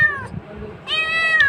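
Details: Cat meowing while being offered food: a clear, bright meow falling away, a short pause, then a longer high, steady meow.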